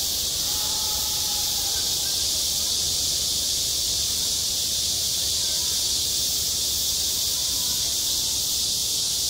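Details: Summer cicadas singing at a school playground, a constant high-pitched sizzling chorus with no breaks; a brief faint tone and distant murmurs sit low beneath it.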